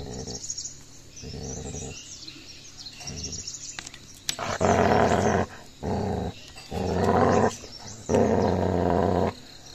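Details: Gaddi dog fight as a puppy shows aggression and attacks the other dog: deep, rough, sustained growls in bursts of about one second, with short quiet gaps, growing louder and longer toward the end.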